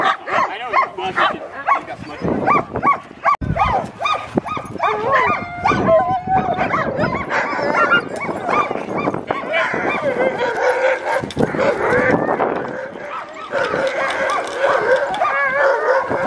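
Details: At Farren Park in Ontario, Canada, on 24 October 2020, the Alaskan Malamute Sojou trains with her mother Sola and a team of sled dogs. Excited dogs yelp, whine and howl in wavering, high-pitched cries that overlap continuously.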